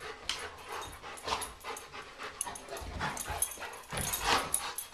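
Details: Guinness, a Bernese Mountain Dog, playing around with Dolly: short broadband huffs and yippy bursts come in irregular clusters, the loudest near the middle and end, over a rough, rustling background.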